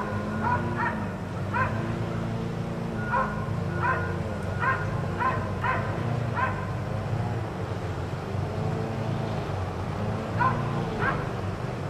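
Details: Barking from four dogs kept outside all day by neighbors; clustered volleys of quick barks, a lull in the middle, then a fresh pair of barks near the end, all against a steady low mechanical drone.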